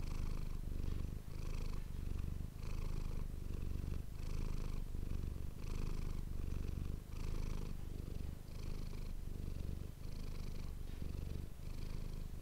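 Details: Steady rhythmic purr of Manis, a pet cat, recorded for ASMR with a dedicated microphone; low rumbling bursts alternate about every second and a half, each with a faint airy breath sound above.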